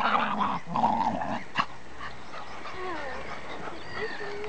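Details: Two dogs, a Welsh Terrier and a Staffordshire terrier, facing off: rough low growling and snarls in the first two seconds, then quieter thin whining whistles and a few short yelps.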